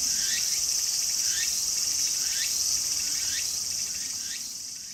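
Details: Walker's cicada calling vigorously in a garden: a steady, very high buzzing hiss, overlaid by a rising, swept phrase repeated about once per second, fading slightly toward the end.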